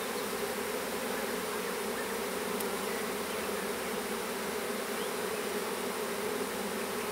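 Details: Small honey bee swarm being hived into a privet hedge thicket in south Alabama on 12 April 2014; unbroken, loud, even buzzing roar of many bees with no pauses.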